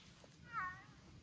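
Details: Ragdoll cat crying in a Swedish forest during a countryside walk while its owner urges it to come because of too many mosquitoes; a single brief tonal meow, rising slightly then falling, in quiet surroundings.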